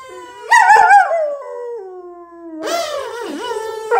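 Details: German Shepherd worked up over a kazoo toy gives a sustained, gradually falling howl-like whine, then a louder wavering cry that dips and climbs again, continuous for about four seconds.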